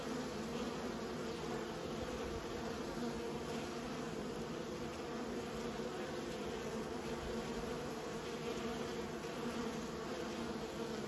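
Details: Buzzing of honey bees being raised: a constant low drone from many insects at once, smooth and unvarying in pitch and loudness across the whole stretch.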